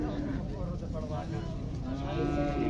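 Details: Heifers at Gondal cattle market in Pakistan, 14 August 2024; drawn-out low mooing that rises toward the end, over a dense crowd murmur and market bustle.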